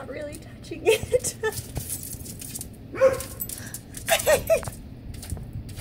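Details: Facing a centipede, a dog lets out a run of short, clipped barks in quick bursts, some doubled and tripled, while a woman talks excitedly over them.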